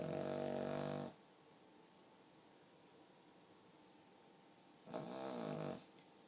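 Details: Sleeping pug snoring indoors, two separate snores about four seconds apart, each a buzzy, harmonic-rich rasp lasting roughly a second, with quiet breathing pauses between.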